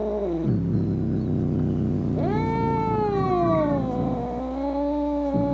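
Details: Angry cat meow, offered as a sound to scare off rats, opossums and other cats: one long, drawn-out, wavering harmonic yowl that starts after a low rumble, swells and slowly falls, over a steady low hum.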